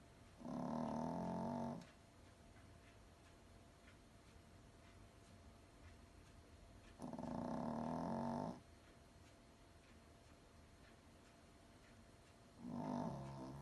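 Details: A small, soundly sleeping toy poodle makes steady, comfortable snores: three throaty, rumbling breaths, each about a second long, repeating roughly every six seconds in a quiet indoor setting.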